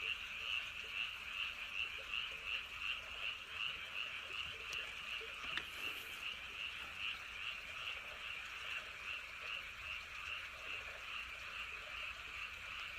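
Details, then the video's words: Frogs calling at night near Woryeonggyo Bridge and Hahoe Village in Andong: a dense, continuous chorus of fast, high-pitched pulsed croaks, about two or three per second, with a faint low rumble of wind beneath. "개구리. 바람소리 그리고 밤의 적막."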